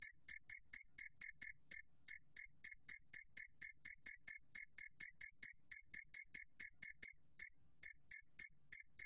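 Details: Two-spotted cricket, 2020 National Institute of Biological Resources recording, giving rapid shrill chirps about four a second, interrupted by brief pauses near two and seven seconds, with nothing else audible.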